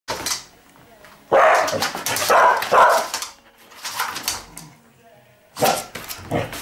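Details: Dog named Pearlie releasing her excitement by challenging another dog, Etsu, to play; a burst of loud broad barks in quick succession, then a pause and two more sharp barks, with scuffling noises between.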